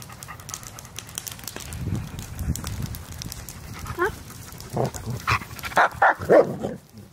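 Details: Playing German Shepherd puppies: soft breathy sounds early, then a run of short yelping barks and squeaky whines, several rising or wavering in pitch, clustered in the final three seconds.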